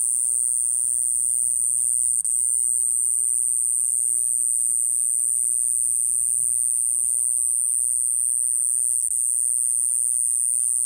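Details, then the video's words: Mogannia minuta, the Iwasaki grass cicada of Okinawa, holding one continuous piercing high whine for the whole stretch, nearly unchanging in pitch, with a soft low hum and faint background noise beneath. "イワサキクサゼミ セミの鳴き声沖縄"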